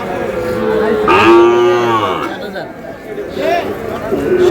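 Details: Sahiwal cattle among Sahiwal calves, where a Dhaka farmer buys a bull calf on 27 April; one full harmonic moo, swelling then falling away over about a second, followed by softer distant lowing and background voices.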